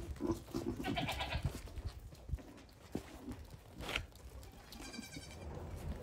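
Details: Young goat kids aged one day to one week on a farm, curious and playful; several quavering bleats, a cluster early and another a few seconds later, amid thumps, rustling and low background rumble.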